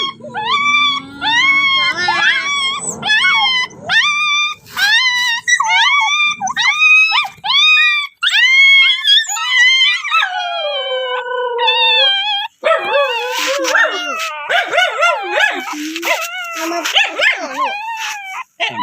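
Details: Rapid series of short rising dog yelps, about one each second, gives way to a long falling howl, then a dense mix of overlapping howls with faint music and voices.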